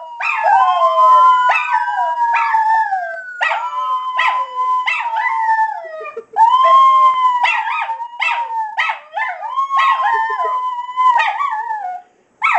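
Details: Duke and Duchess, a pair of Miniature Schnauzers, howl in repeated phrases, each a steady drawn-out tone broken by choppy yips, the two voices interleaving for about twelve seconds.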